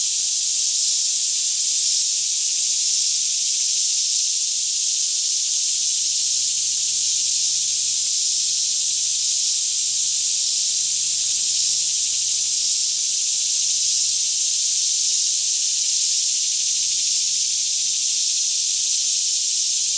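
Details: Cicadas sing together in a Kentucky forest near Franklin around 10am on a fairly still morning, recorded with a Canon 5D Mk2; a dense, continuous high shrill wash that never pauses over twenty seconds, with a soft low rumble underneath.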